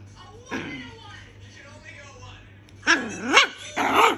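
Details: Brownie, a two-month-old female toy poodle puppy, after her nail was caught in a door on 3 July 2021. Faint voices first, then two arching, wavering cries and a higher broken whimper near the end.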